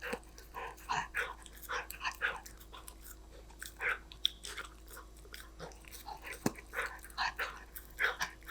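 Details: Golden Retriever puppy Danbi chewing snacks: rhythmic crunchy bites about twice a second, with a sharp snap near the middle and a steady low hum underneath.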